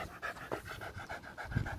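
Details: Patterdale terrier, a fell terrier, out in high grass fields, panting fast in a steady rhythm of short breaths, several each second, with a soft, slightly voiced rasp over faint background noise.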